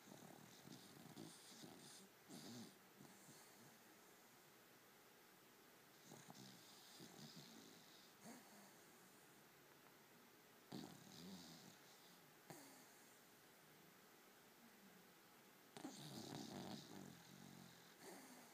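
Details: Young female cocker spaniel puppy snoring while asleep indoors: soft, breathy snores repeating every couple of seconds, some louder snorting bursts near the end, over a steady background hiss.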